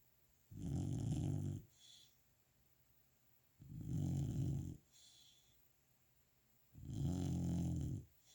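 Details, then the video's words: A sleeping golden retriever puppy, a young female tired out from a day of play, snores loudly. Heavy, throaty rumbles come in long bursts about every three seconds, with softer wheezy breaths between them. "Golden Retriever puppy snoring"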